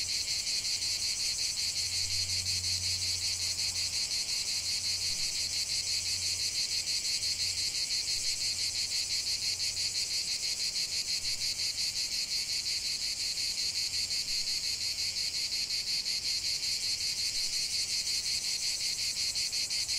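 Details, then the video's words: Dense cicada chorus outdoors, an intense, shrill, unbroken buzz at high pitch, with a faint low hum briefly underneath early on. "chant des cigales"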